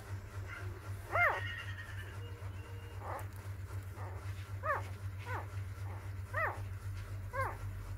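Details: Newborn puppies on their fourth day, one of a litter of six, giving short arched squeaks that rise and fall, repeated about once a second, over a steady low hum.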